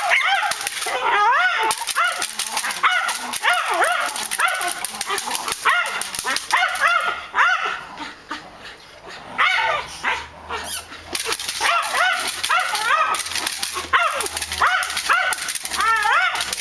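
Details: During K9 defence and attack training, a Malinois barks in dense, excited bursts of sharp yelps and whines, pausing briefly midway before resuming; a low hum sits underneath.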